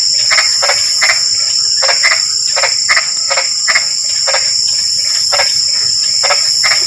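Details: Croaking frogs in nighttime drizzling rain: clipped, grating notes repeated about once a second in loose runs, some coming in close pairs, set against a continuous high insect drone.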